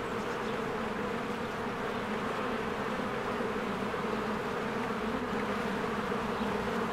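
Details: Diligent bees stream in and out of their hive on a spring day while the trees turn green. The sound is a steady, dense collective hum, a constant buzzy drone with no gaps.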